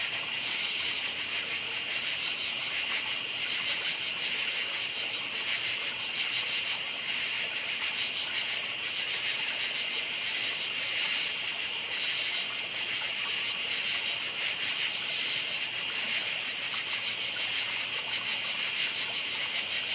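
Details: Crickets chirping at night: a dense, steady high-pitched chorus of overlapping trills. Individual chirps blur into a continuous shimmering hiss, with no other clear sounds.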